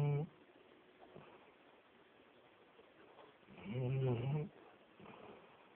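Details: Ellis, a pet dog, sleeping and snoring indoors in a quiet room: one brief snort at the start, then a long, low, rumbling snore lasting about a second, with fainter breathy snores after it.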